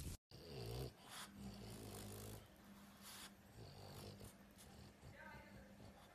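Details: French Bulldog, a pet dog, giving low, rough snorting and snoring grunts that rumble in short bursts, with a human voice talking over part of it and a brief sharp noise at the start.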